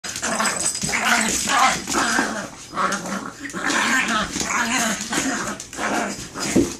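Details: Chihuahuas fighting: dense, rough snarling growls run almost without pause, swelling and dipping in loudness in short bursts about every half second to second.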